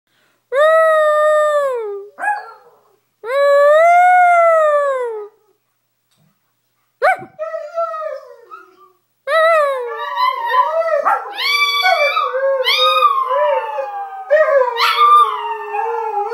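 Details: Two small Chihuahuas roo along with greyhounds indoors: long tonal howls with clear harmonics, the first two sliding down, then overlapping voices warbling and rising and falling together in a dense chorus of several dogs.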